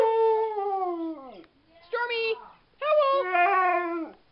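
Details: Howling dogs at a vigil for the Whistler 100: a long, slowly falling howl, a short rising yelp-like note, then a second sustained wavering howl that fades out.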